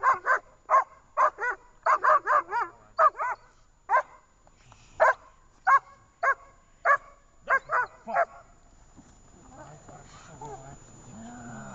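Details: Dog named Dzheni barking during a training session in Gorlovka on 18 August 2019: a rapid series of sharp, harmonic barks in uneven bursts for about eight seconds, then quieter background noise.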